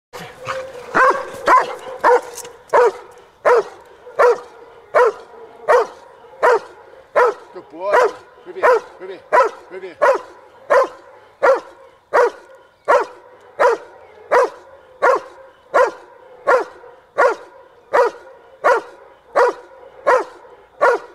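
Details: A 19-month-old dog in protection training gives a long run of barks in a blind, rewarded with a ball, early in its drive development; loud, even barks repeat steadily about every 0.8 seconds, some 25 in all, with faint voices at the start.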